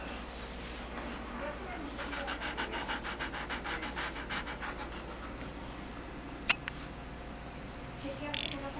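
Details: Bella the dog pants quickly while wanting to play with Sid: a run of rhythmic, evenly spaced breaths at roughly three per second, then quieter breathing, with one sharp click and faint background noise.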